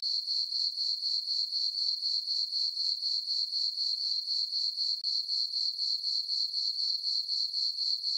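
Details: Crickets chirping on a summer night in a farm meadow under a full moon: a steady, high, shrill trill pulsing about four times per second, with one momentary break midway and no other sounds.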